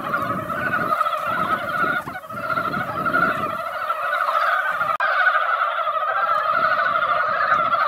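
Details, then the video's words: Mountain frogs at a quiet mountain pond after a light rain that barely wet the ground. They have gathered in spring and fill the pond with a dense, unbroken chorus of rapid croaks in two steady layers. Low rumbling noise is heard through the first seconds. "산개구리 노래"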